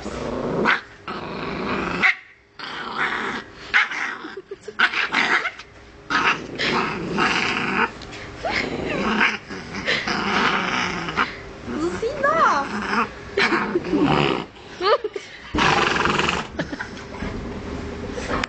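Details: Chihuahua puppy growling at a horse it dislikes: rough, buzzy growls in uneven bursts, broken by short pauses and a few higher yips and whines, with rustling throughout.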